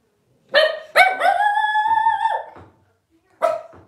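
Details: Blenheim Cavalier King Charles Spaniel puppies, 12 days old, from a litter of five born to Paris and Spike at New Year's 2023. Two sharp yelps run into a long, steady, slightly rising whine that drops away, then one more yelp after a pause.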